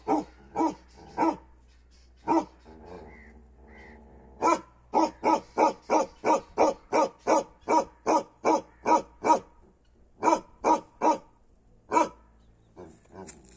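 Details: A Kashmiri Bakharwal dog barks loudly in steady runs, deep harsh woofs coming several times a second.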